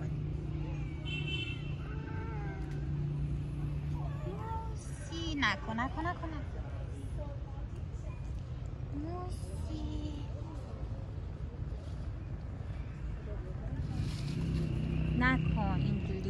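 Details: Stray street cats jostle one another to be petted, giving several short rising meows with bright harmonics around the middle and end, over a steady low traffic rumble and a person speaking Persian, scolding a cat named Musa not to fight.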